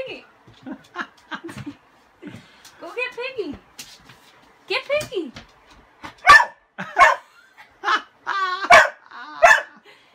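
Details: Pet dog Kasa, scared of a broom yet wanting the toy beneath it, alternates wavering whines and yelps with a run of loud, sharp barks roughly every second toward the end; a person laughs faintly.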